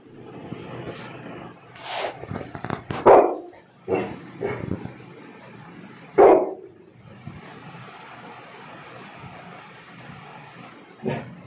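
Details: Labrador Retriever barking at an unknown person: a few loud, sharp barks spaced irregularly over steady background hum and rumble.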